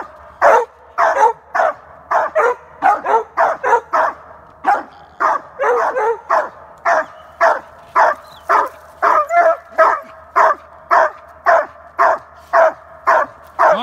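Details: Two Treeing Walker Coonhounds barking: loud, rapid, rough barks repeated nearly twice a second, overlapping in places, with a person briefly exclaiming afterward.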